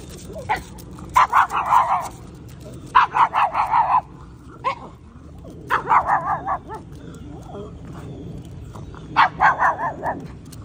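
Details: Lady McPloppins, a pug dog in a red rain jacket cape, gives sharp, rapid yapping barks in four quick bursts of several barks each, spaced a few seconds apart, with quiet background hum between.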